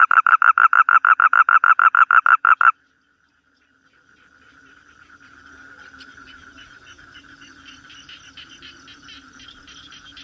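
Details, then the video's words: A toad trills in fast regular pulses for almost three seconds and then stops. After a short silence, a faint, distant chorus of rapid pulsing callers rises. "Toad cry"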